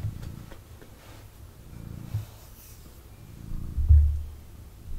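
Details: Male kitten purring intensely while cuddled indoors and moving about; low rhythmic rumble in waves, rising to a louder surge near the end, with light rustling.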